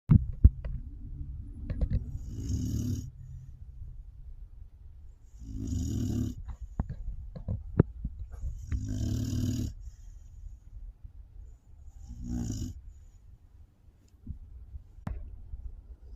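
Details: Sleeping pit bull snoring indoors: deep, rumbling breaths with louder raspy snores roughly every three seconds, each with a brief hissing edge.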